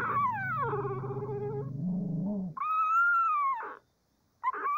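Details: Cavalier King Charles Spaniel puppy before breakfast: a loud, drawn-out whining cry that slides down into a lower moaning tone. A high arched whine follows, then a brief silence and one short yelp.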